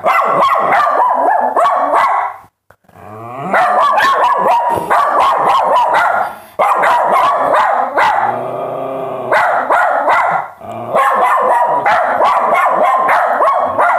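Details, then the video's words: Several dogs barking in a dense, nearly continuous chorus of sharp overlapping barks, several per second, broken by a short pause near the third second and a stretch of drawn-out whining tones around the eighth second. "dogs barking"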